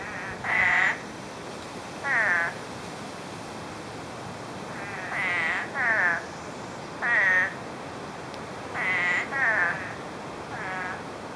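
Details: Spadefoot toads out after nine inches of rain fell in less than a day, calling from brush: short nasal, wavering bleats, about ten in all, often in quick pairs, spaced irregularly over a quiet background.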